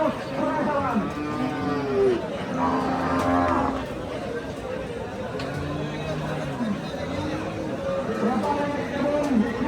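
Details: Sahiwal cattle at a busy cattle market before Qurbani in Bangladesh, giving several low drawn-out moos with rising and falling tone, one after another, over a background of crowd chatter.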